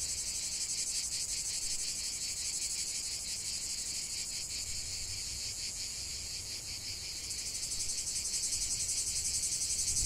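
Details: Cicadas calling together in nature, an unbroken high buzzing wash with gentle rhythmic throbs, brightening and intensifying toward the end; no other clear sounds.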